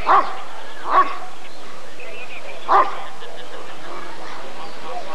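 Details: A Rottweiler at the 1994 ADRK breed survey, during the temperament assessment of the male Janko von der Steineiche, gives three clipped barks, two quickly paired and one after a pause, then quieter background murmur.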